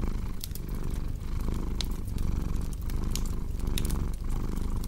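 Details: Continuous deep purr from a cat, pulsing with breathing cycles roughly every second, alongside a crackling fireplace that adds scattered snapping clicks.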